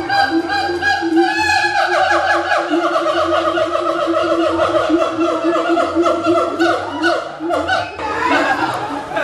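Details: Siamang, an endangered gibbon whose loud singing marks territory and strengthens family ties: dense overlapping harmonic hoots and wavering cries blending into a continuous chorus, with a louder rising burst near the end.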